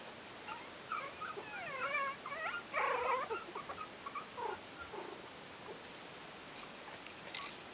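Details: Four-week-old Yorkshire terrier puppies of a kennel litter whine in wavering, high-pitched bursts, several voices overlapping early on, then scattered shorter squeaks and soft rustling, ending with a brief sharp noise.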